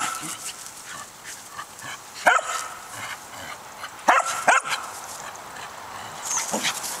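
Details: In a back yard, a three-year-old corgi named Winnie tries to get the older corgi Oliver to play; a few isolated sharp barks, one single and then a close pair, over soft outdoor background hiss.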